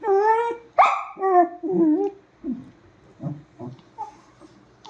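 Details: Dog in a nightly quarrel: a drawn-out high whine, then a yelping bark, then several softer, shorter grunts and whimpers that fade away.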